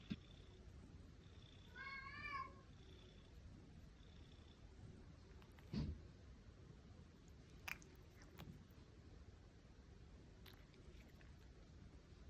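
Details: Domestic cat meowing, from a set of seven meows; one quavering, wavering meow around two seconds in, then soft clicks and knocks in a quiet indoor room.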